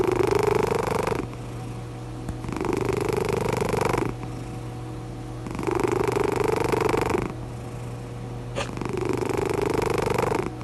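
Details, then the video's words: Relaxed cat snoring out loud, a sign of contentment: long raspy breaths of about a second and a half alternate with quieter pauses, roughly four snore cycles, each breath rising slightly in pitch, with a steady low hum underneath. "CAT SNORING OUT LOUD"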